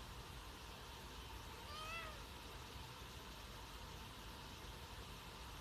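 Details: A Sphynx cat (Felis catus) gives a single short, rising-then-falling meow over a steady low rumble.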